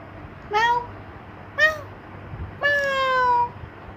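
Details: Cat giving a quick, active response: three clear meows, the first two short and arching, the third long and slowly falling in pitch, with a low steady hum underneath.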